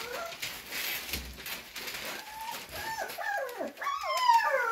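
Cocker spaniel puppies whine in thin, wavering high notes, asking to be let out.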